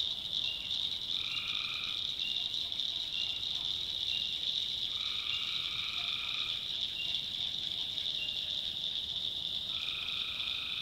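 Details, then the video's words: At night in a North Carolina backwoods swamp, tree frogs give several steady buzzing trills of about one to two seconds, some overlapping, set against a continuous high-pitched droning chorus. "Relaxing Swamp Sounds at Night - Frog Heaven - Frogs"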